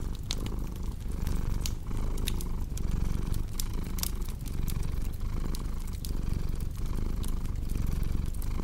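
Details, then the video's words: Steady low purr of a cat under busy fireplace crackle, the rumbling drone pulsing gently with breaths under a second apart while frequent sharp wood pops stand out above it. "Purring Cat with Cozy Crackling Fireplace Sound"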